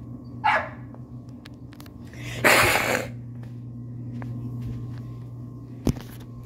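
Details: Pet cat hissing at a strange dog on the porch: one harsh, breathy burst of about half a second in the middle. A short yelp-like call comes before it and a sharp click near the end, over a steady low hum.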